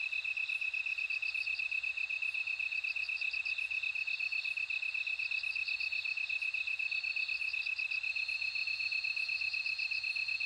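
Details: A bell cricket rings in short pulsed trills that come and go over a continuous, even, high insect drone, with regular faint ticks running along the top.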